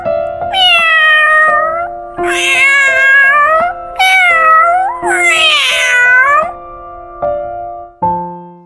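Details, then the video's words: Domestic cat meowing: four drawn-out, wavering meows over about six seconds, each rising then falling, with steady electronic music tones underneath throughout. "3 kinds of animals with unique and funny sounds, namely, cats, dogs, cows"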